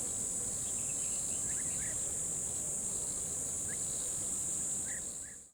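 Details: Crickets by a river hold a steady, high, shimmering trill without pause, with a few faint bird chirps.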